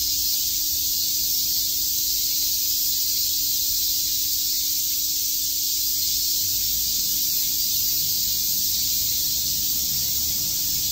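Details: Many cicadas chirping through a summer day at Shakujii Park, Tokyo; their shrill, spray-like buzzing stays constant and loud throughout, with nothing else standing out.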